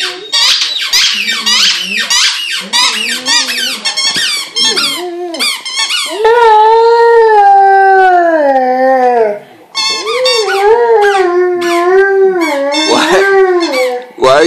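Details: A Vizsla, male, whines and then lets out long, wavering howls that slide up and down in pitch, howling at his squeaky toy.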